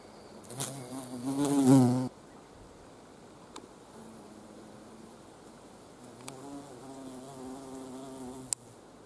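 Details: Carpenter bee collecting nectar at wisteria flowers, which bloom from mid-April to early May. A loud, low droning wing buzz swells for about two seconds and then stops abruptly. A fainter, steadier hum returns later.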